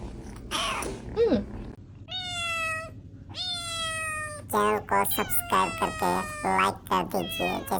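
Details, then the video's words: Two cats, including a white one, face off in a fight. Low growling moans give way to flat, nasal, strongly harmonic yowls, then a rapid run of choppy, stuttering cries close together near the end. "cat fight interesting video - very hot white cat funny video - cat original voice - cat vs cat"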